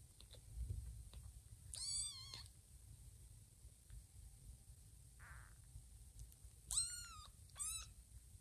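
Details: Lima, a mother cat, visits her kittens lying on a person's belly; three clear, high, slightly rising-then-falling meows, one long and two short, separated by quiet pauses and faint rustles.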